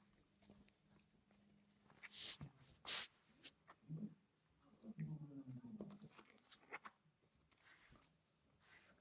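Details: Twenty-five-day-old puppies indoors in a living room at night: faint soft whimpers, then a drawn-out whine that slides downward near the middle, set among sharp hissy scratches and rustling bursts.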